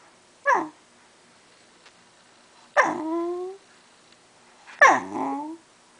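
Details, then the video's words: Shiba Inu dog whining because it wants cheese. Three drawn-out, nasal whines about two seconds apart each start sharply, then slide downward and trail off, in a quiet indoor room. "Wants Cheese for his Whine"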